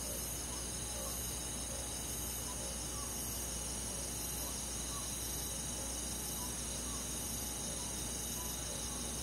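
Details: Rural summer night in the woods, many crickets and insects trilling steadily at high pitch, with faint regularly spaced chirps beneath the dense shimmering layer.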